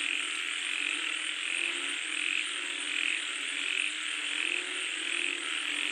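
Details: Frog calling as rain comes down. Short croaks are repeated a little faster than once a second over a thick, even wash of high, hissing chorus noise.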